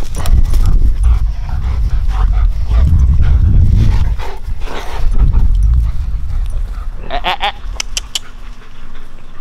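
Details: Two German Shepherd brothers at play in a back yard: steady panting and scuffling, then near the end a short bright whine with a clear pitched tone rises briefly over the low rumble of the yard.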